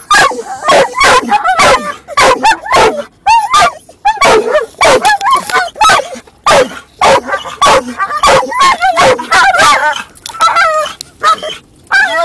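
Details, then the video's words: Dog in a car giving rapid, wavering barks and yips while another dog shifts around; quick bursts several per second, then looser, softer whines toward the end. "funniest dog sound"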